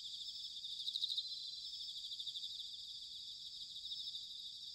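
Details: Autumn bell cricket chorus from Sanuki, Chiba, Japan, quieter and more distant: a continuous high trilling band with a brief brighter pulsed burst near one second, over faint low rumble.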